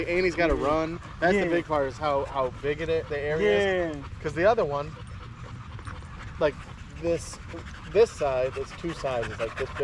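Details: Evening park chat among male dogs including a Staffordshire Bull Terrier: a rapid string of short, wavering whines and drawn-out yowls, some bending up then down, thinning later into sparser brief calls over faint background noise.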